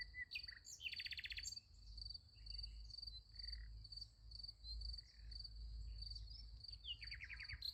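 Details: Crickets at night beside a sunflower field, a steady high pulsed chirping running throughout, overlaid by loud sweeping bird chirps and short trills, with a low background rumble.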